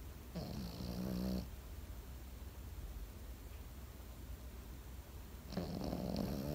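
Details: Pekingese asleep, snoring twice: each snore is a low, rough, buzzing inhalation lasting about a second, the two spaced roughly five seconds apart with near silence and faint room hum between them.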